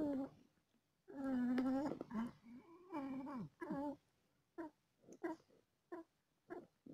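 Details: Mother cat in labour, delivering four kittens and feeling pain: a loud sustained wail with bending pitch, a second wavering cry, then a series of brief clipped meows spaced roughly half a second apart in a quiet room.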